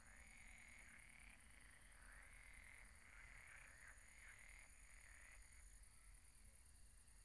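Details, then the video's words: Pond frogs at night giving many overlapping rattling croaks, some dipping and rising in pitch, blended into one unbroken chorus with a faint high tone and low rumble behind. "Relaxing sounds of croaking frogs at the pond"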